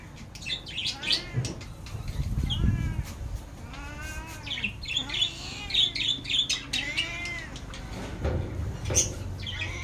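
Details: Pet cat named Sorna meowing for food, giving a run of short arched cries in quick succession over a busy background of high chirping and brief human voice.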